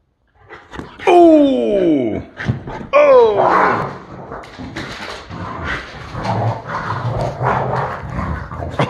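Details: ["Boxer dogs play-fighting give two loud, high yelping cries that drop sharply in pitch, two seconds apart. Rougher growling, scuffling and a person's voice follow."]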